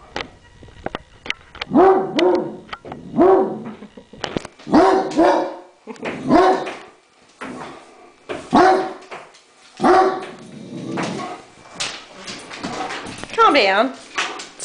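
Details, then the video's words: Great Dane, upset, barking indoors at a remote control helicopter; a run of deep, harmonic barks every one to two seconds, about eight in all, with a rising, whining bark near the end and faint room clatter. "Great Dane barks at helicopter"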